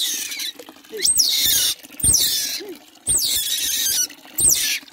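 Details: Young otter being bathed gives four loud, shrill squeals, each sliding steeply down from very high pitch, about one per second, over a steady low indoor hum.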